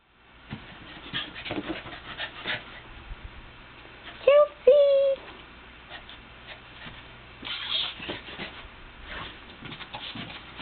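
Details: Playful Lhasa Apso puppy named Chelsea, June 16, 2007, giving two short high whining yelps with a rising and level tone, amid indoor rustling, clicks and quiet human voices.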